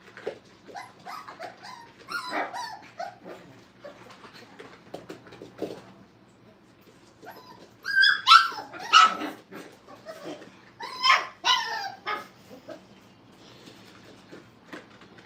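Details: Five-week-old Brittany puppies playing at a training kennel: scattered soft yips and whimpers, then louder bursts of high yelping barks in two clusters, with quiet scuffling between.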